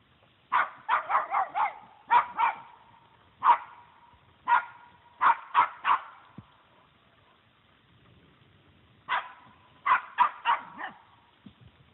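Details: Puggle barking while confronting a deer that stands its ground: bursts of quick sharp barks, several in rapid succession, broken by pauses and a longer silence before a final volley.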